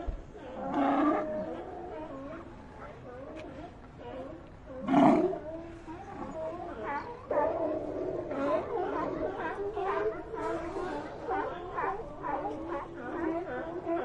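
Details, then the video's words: Sea lions with a loud harsh roar near five seconds, followed by a continuous murmur of many overlapping barks and moans from a crowded group. "Ambient Sea Lions"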